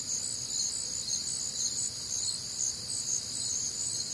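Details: Night chorus of crickets recorded on a humid, warm Midwestern summer night, steady high-pitched pulsing chirps from many insects overlapping into an unbroken shimmering drone, with faint rhythmic beating about twice a second.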